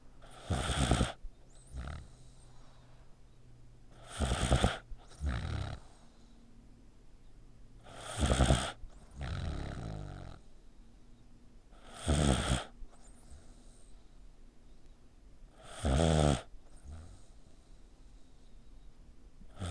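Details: Dog sleeping with a tightly pinched neck snores like a person: five strong, buzzy, rattling inhalations at a steady pace of about one every four seconds, each followed by a softer grunting breath out.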